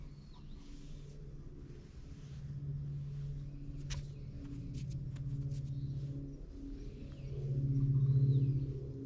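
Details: Ginger stray community cats lounging in a cat shrine's parking lot while being stroked, filmed on a GoPro HERO8: a low, steady rumbling purr that swells and fades in slow waves, with faint bird chirps above.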